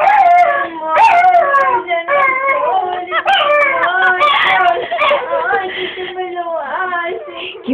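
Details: Spoiled, crybaby pet dog whimpering and whining steadily indoors: a run of wavering, nasal whine notes bending up and down, mixed with a woman's affectionate Spanish baby talk.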